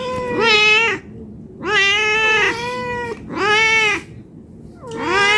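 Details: Domestic cat, hungry and asking for food, gives four loud, clear, strongly harmonic meows, each about a second long, roughly every one and a half seconds, with a faint low hum between them.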